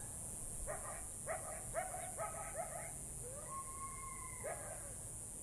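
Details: Distant coyote pack calling at sunset in the Catalina Foothills desert, heard by a young female coyote at a pond: a run of quick yips and short barks, then a drawn-out steady howl and one more yip, over steady hiss.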